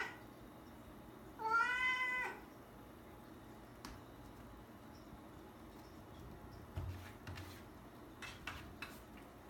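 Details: Indoor rescued cat wanting a night out gives a single drawn-out meow, followed by several seconds of near silence with faint clicks and rustles.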